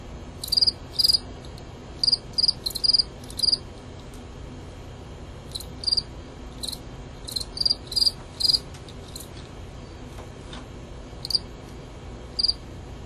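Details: Two male fall field crickets, Gryllus pennsylvanicus, fighting in a recorded contest. Short high chirps come in irregular clusters of two to four, separated by brief pauses and a longer quiet spell near the end.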